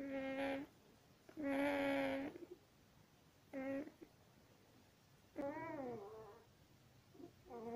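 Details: One-week-old longhaired German Shepherd puppy, born 26 September 2020, giving high, tonal squealing whines. There are five separate cries, each under a second long, one wavering up and down, separated by quiet gaps.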